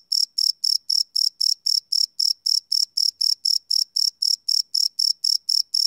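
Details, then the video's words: Live night recording of crickets on a Sony PCM D100 field recorder, no loops: some two dozen bright, trilling chirps in quick steady succession, roughly four per second, against near silence. "Cricket Chirp Sound - Cricket Sounds at Night"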